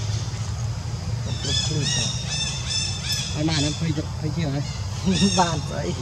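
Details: Jazzy the monkey, crying after ants bit her whole body and left without help from monkey Jane: strained high screeching cries in several bursts, mixed with lower wavering vocal sounds and a constant low hum.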